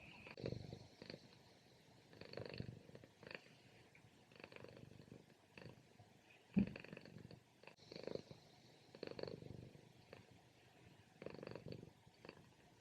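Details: Pet cat napping in the morning, purring loudly and drifting toward snoring; low rumbling pulses come in regular breathing cycles roughly every two seconds, each swelling and fading, with one sharp click near the middle.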